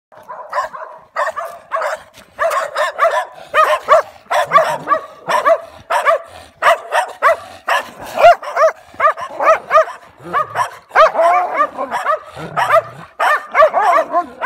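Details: German Shepherd barking against stray dogs: rapid, sharp barks repeated almost continuously for the whole stretch, overlapping in places, with a few lower growling sounds mixed in.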